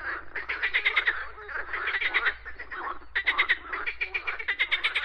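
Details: Frogs croaking in bursts of rapid rattling pulses, several callers overlapping, with a short pause near the middle.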